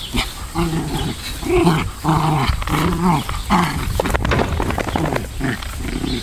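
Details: Two Pomeranians wrestling in play on a central Wisconsin farm, giving several short nasal growls and snarls in the first half, then fading into rustling and scuffle noise.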